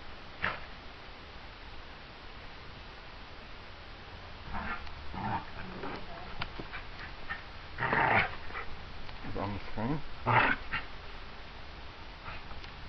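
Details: Two Border Terriers playing together on a hot day: scattered short, rough growling and yipping bursts, strongest around the eighth and tenth seconds, over steady background noise with a few brief human words.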